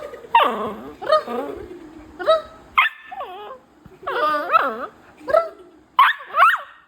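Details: Vancho, a pet beagle, takes over a bean bag. Rising and falling whimpers and yelps come in short bursts roughly every second, some drawn out and wavering, with brief gaps between them.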